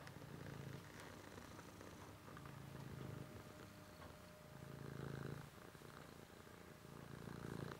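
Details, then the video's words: Cat purring in even breath cycles, its low rumble strengthening roughly every two seconds, then easing off between breaths. "Cat is purring"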